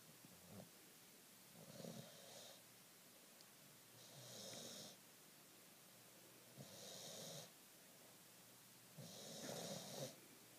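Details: Softer snores from Fergie, a sleeping nine-month-old bulldog resting after her walk: four drawn-out, hissy breaths spaced about two to three seconds apart, with a faint airy rasp over a low rumble.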